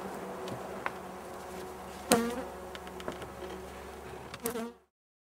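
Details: Buzzing honey bee swarm during an inspection and powdered-sugar treatment against varroa: continuous low droning hum, a loud knock about two seconds in, scattered clicks from handling the hive, then sudden silence near the end.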